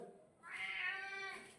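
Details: Domestic cat giving one drawn-out, richly harmonic meow of about a second, starting after a brief quiet pause, swelling then gently fading; no other clear sounds.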